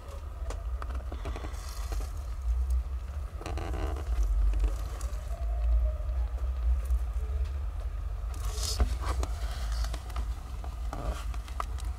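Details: Heavy low rumble with scattered scrapes, crackles and patter bursts is heard, and no animal calls stand out.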